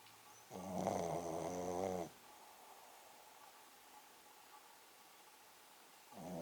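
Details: Poko, a Pekingese dog, sleeping soundly and snoring loudly: one long droning, harmonic snore of about one and a half seconds, a quiet pause, then the next snore starting at the end.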